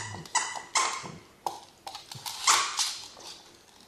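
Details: Dachshunds from a family of dogs, heard indoors: a run of short, sharp, high yips and whiny squeals at uneven intervals, some clipped and breathy, with a person speaking nearby.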